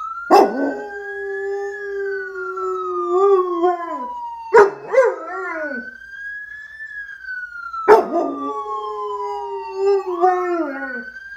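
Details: A dog howling in answer to a passing ambulance siren; a lower, wavering, slowly falling howl runs beneath loud siren wails that sweep up and down, with sharp clicks at the start of each cycle.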